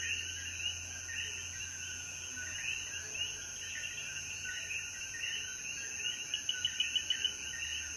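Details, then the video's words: Post-rain sunset chorus of coquíes in Jayuya's mountains, Puerto Rico. Many frogs overlap in busy, repeated chirping notes, while insects keep a constant shrill drone higher up and a few clicks sound near the end. "Sonidos de Coquí y Naturaleza"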